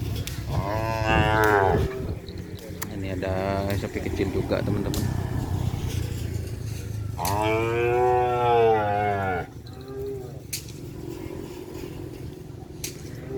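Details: Cattle at a Kerapan Sapi bull race at a field in Asemanis, with a small one among them. Three loud, drawn-out moos, the last longest and bending in pitch, with music and people talking throughout.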